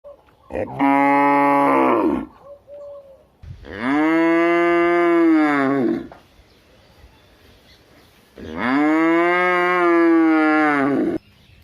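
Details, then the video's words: Cow mooing three times: a short bellow, a longer one, then a third. Each call is rich and harmonic with a slight rise and fall in pitch, separated by quiet pauses. "cow sound"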